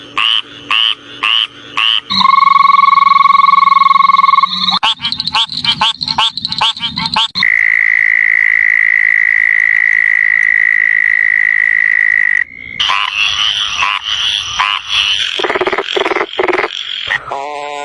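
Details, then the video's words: Frogs calling: a series of short pulsed clicks, then a steady two-toned note, more rapid pulses, and a long, even, high-pitched trill lasting about five seconds, ending in harsh, rapid pulsed croaks; segments change abruptly. "Frogs 🐸 making sound pokro pokro"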